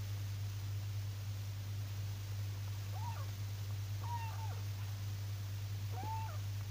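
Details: Kitten up for adoption, adopted in September 2018, giving three thin, high meows spaced about a second apart, each briefly rising then falling, over a steady low electrical hum.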